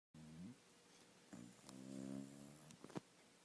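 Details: A sleeping dog snoring indoors: low, droning breaths with a faint tonal whine, one short snore at the start, then a longer snore swelling and fading, followed by a few soft snuffles.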